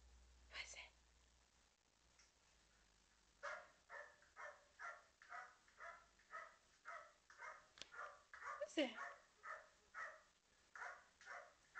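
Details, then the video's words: A two-year-old Border Collie barking at dogs on YouTube gives a steady run of short, sharp woofs, about two each second. "Border Collie Barking"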